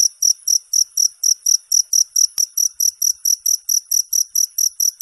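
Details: A cricket sings in a recording intended as ten hours of sleep sound and rat deterrent: rapid, very high trilled chirps about four per second, evenly paced, with one sharp click midway.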